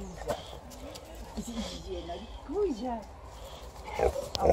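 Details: Female Alaskan Malamute, happy and talkative, greeting her returning people with drawn-out, arching howls that swoop up and down, then sharper yelps near the end, while people speak and laugh.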